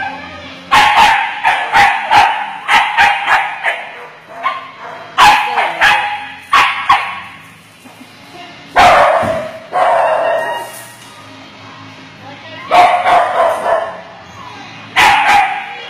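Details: Dachshund excitedly playing with a big ball on a slippery floor at a doggy daycare. Sharp, high barks come in quick irregular bursts, several per second, with short pauses between. Applause and music are heard in the background.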